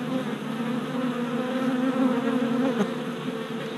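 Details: Worker honey bees on orientation flights four days after package installation in a new hive, April 2017, GoPro recording; a steady, many-voiced buzzing hum with slightly wobbling pitch and a brief louder pass near the end.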